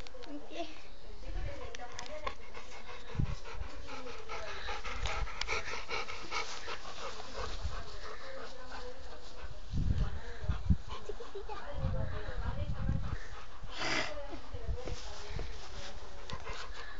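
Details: Affectionate, playful Rottweiler called Amadis de Gaula panting in quick, regular breaths, with low bumps and handling noises in between and people's voices talking throughout.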